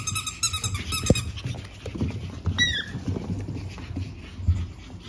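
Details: Pug puppy littermates born April 17, nearing adoption, give a quick series of high, thin squeaks and a falling whine.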